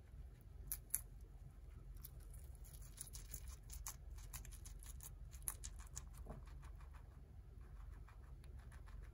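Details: Guinea pig named Tot eating romaine lettuce, recorded close for ASMR: crisp crunching clicks in quick irregular bursts, several per second, with brief pauses, over a steady low indoor hum.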